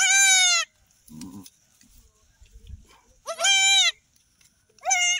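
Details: Newborn kids on an off-grid goat homestead, where a goat has delivered three babies. Three loud, high, quavering bleats about two and a half seconds apart, with soft rustling and brief low voices between them.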